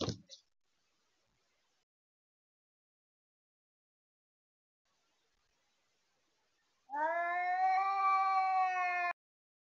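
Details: House cat in a fight with a feral cat at the deck window during the evening. After a brief thump and long silence comes a sustained, steady, tonal yowl lasting about two seconds.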